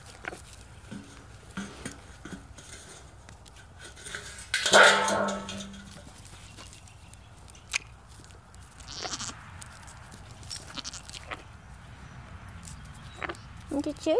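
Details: A goat at feeding time lets out one loud, strained bleat that trails off into a lower drawn-out tone lasting about a second, amid scattered clicks, rustling and low farmyard noise.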